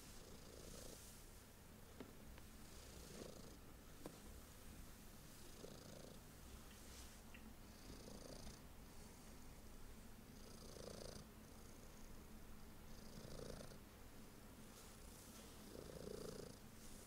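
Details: Pet cat enjoying belly rubs purrs in a low, constant throaty drone, with breathing cycles swelling roughly every two seconds and faint rustling strokes of a hand on fur.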